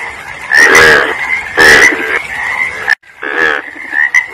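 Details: Frogs croaking, loud harsh bursts at about one and two seconds and again near three and a half, over a steady high chorus of other frogs.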